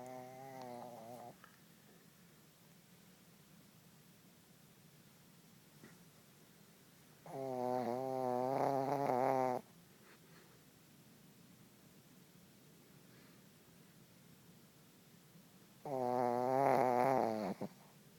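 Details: Puppy asleep and snoring, giving three drawn-out, wavering, harmonic snores about eight seconds apart, each lasting one to two seconds, with quiet breathing between them in a still room.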